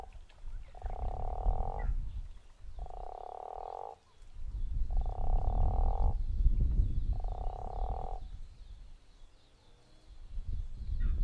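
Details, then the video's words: Guttural toad at Zeekoevlei giving four loud, rasping, snore-like croaks of about one second each at an even pace, with deep rumbling noise underneath. "The Snoring Toad"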